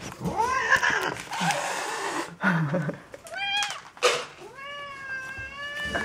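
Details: Hungry domestic cats at feeding time: muffled human voices and rustling dominate the start, then a short meow and a long, steady, clear meow close the stretch.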